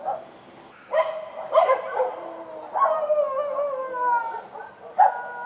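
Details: Street dogs barking at night: a sharp bark, then rising and falling howls with clear harmonics sliding downward, another bark near the end over a faint low hum.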